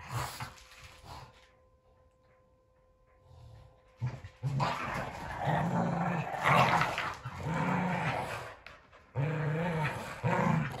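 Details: Boston Terrier and Keeshond in a game of tug; a quiet pause, then sustained throaty play growling in long rumbling stretches, with a faint steady tone early on.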